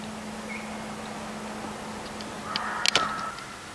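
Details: Reeves's muntjac calling at night with a strange voice: one short, strained, tonal cry near the end with harmonics and a sharp click at its peak, over a steady low hum and quiet background.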